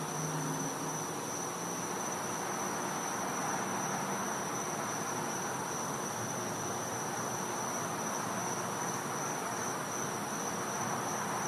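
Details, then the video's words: Cicadas calling at night in winter from a Florida home's back yard, a constant thin high whine holding level over a dense hissing background, with a low hum underneath. "Cicada Sounds"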